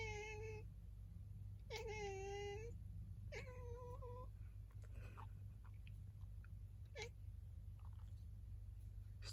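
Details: Pet cat indoors seeming to grumble after its owner sneezes, three clear meows in the first four seconds, the middle one long and wavering, the last falling, then quiet room hum with faint clicks.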